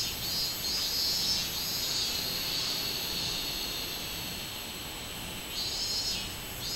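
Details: Robust cicada singing on 24 July 2016: a dense high buzzing drone with pulsing bursts that swell and fade, an unbroken insect chorus throughout.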